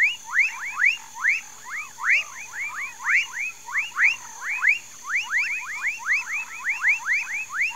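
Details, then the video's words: Amphibian chorus in a Brazilian palm swamp of Mauritia flexuosa, Pedro Gomes, Mato Grosso do Sul: quick rising whoops pouring out in pulsing bursts, several frogs overlapping, with a constant faint hum beneath. "Palm tree swamp, amphibian sounds"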